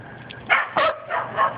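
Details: Corgi puppies, one of a litter of six, outside for the first time: four short, high yipping barks come in quick succession within about a second, each with a bright, harmonic tone, over a faint low background hum.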